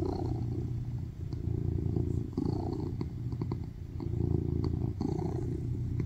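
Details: Loud purring from a male tuxedo cat cuddled on a lap seeking affection, a continuous low rumble pulsing in rhythmic cycles with small dips, faint rustling in the background.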